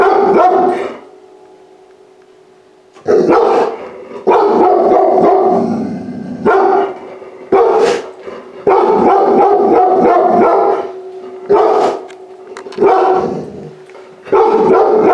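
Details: Puppy rescued from a high-kill shelter, entering a house for the first time, lets out repeated clusters of quick, loud barks separated by gaps of one to two seconds, with a steady humming tone underneath.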